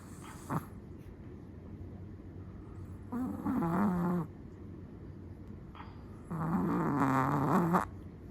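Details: Sleeping Chihuahua snoring: two drawn-out, rasping breaths of about a second each with a low droning tone, separated by quiet breathing, plus a brief soft click near the start.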